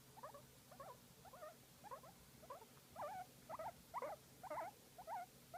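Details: Pet guinea pig being massaged, making cute repeated squeaky chirps with a wobbling pitch, around eleven evenly spaced bursts that grow slightly louder toward the end, low steady hum underneath.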